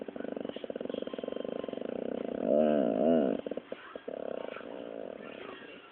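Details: Scolded pet pit bull Dropsik 'talks' back with a fast pulsing, throaty grumble. Two rising-and-falling warbled moans sit in the middle, then the grumbling resumes more softly.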